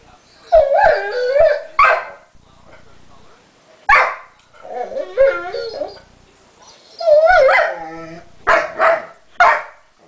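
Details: Pet dog crying and whining over a guarded chew bone that another dog took a piece of; wavering high whines in bursts separated by pauses, with a person speaking encouragingly between them.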